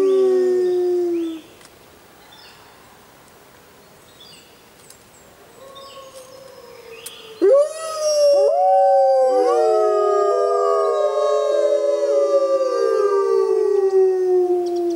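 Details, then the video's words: Wild grey wolves at full moon: a low howl fades, a quiet gap with distant calls follows, then a loud pack chorus breaks in at once, many smooth howls rising and falling over each other. "Wolves Howling Sounds in Wild Life | Wolf Howling"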